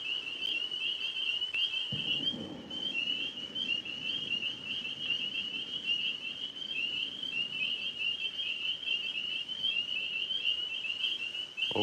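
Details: Tree frogs calling at night, most of them overhead in a maple tree, during an outdoor evening stream with two Alaskan Malamutes; a steady, high, rapidly pulsing trill runs unbroken throughout, with a brief low rustle near the start.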